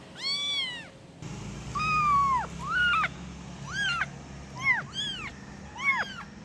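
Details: Kitten calling for its mother: a long arched meow, then a string of shorter, sharply falling mews, some quick and overlapping, against a steady low hum.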